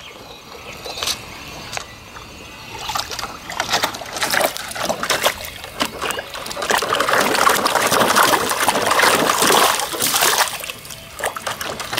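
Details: Irregular splashes and trickling water build from quiet to steady, busy sloshing, with no clear animal call.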